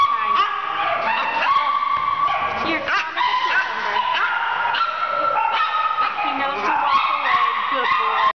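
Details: Small scared shelter dog surrendered by its owner, kept in an indoor isolation kennel area at an animal care center: a continuous run of high, yippy barks and whines overlapping other dogs, with a woman talking to it.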